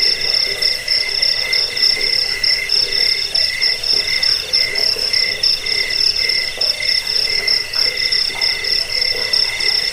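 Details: Jangkrik crickets, a track to repel rats, help sleep and tutor songbirds: unbroken high trilling chorus with pulsed phrases swelling and easing about once a second, several insects overlapping.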